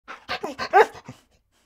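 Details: Dog barking happily while playing: a quick burst of about six short, sharp yapping barks packed into roughly one second, the loudest near the middle, then silence.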